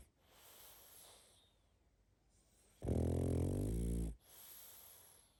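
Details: Sleeping pug snoring: one long, loud, droning snore lasting over a second, framed by softer hissing breaths before and after.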